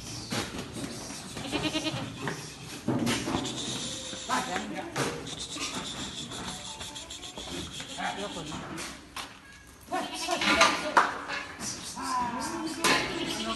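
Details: Goats at a breeding farm of about one hundred goats in Nashik, India; short wavering bleats come and go over the clip, mixed with people talking and general farm noise.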